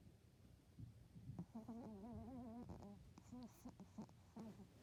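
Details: Sleeping dog snoring, a buzzy, wavering voiced drone with rippling overtones that sways up and down for about a second. Shorter throaty snorts and small grunts follow at uneven intervals, with a quiet room behind.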